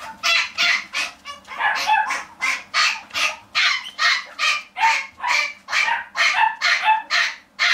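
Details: Pet-shop dog producing a steady series of loud, high-pitched yaps, a little over two per second, sharp and harsh, continuing without pause throughout.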